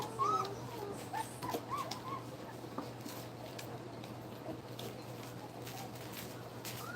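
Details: Two-week-old puppies nursing indoors; a brief high, rising-and-falling whimper squeak near the start, then a few fainter squeaks over soft rustling and a steady low electrical hum.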